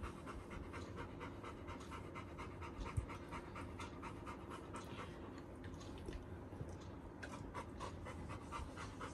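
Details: Labrador Retriever named Little John greeting his elder brother when they are reunited; soft, fast, even panting runs continuously under a low indoor hum.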